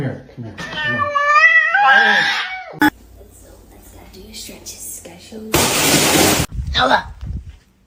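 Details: Cat in a fight gives a drawn-out, wavering yowl with a rising and falling pitch for nearly three seconds. A sharp knock and a burst of loud noise follow, and people talk nearby indoors.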